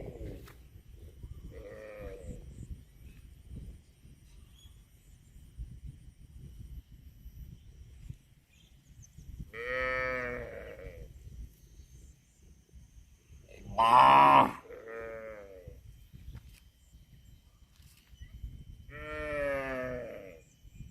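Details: Cows in a cute compilation giving four separate harmonic moos spaced several seconds apart, one louder and harsher burst near the middle, with quiet pauses between calls.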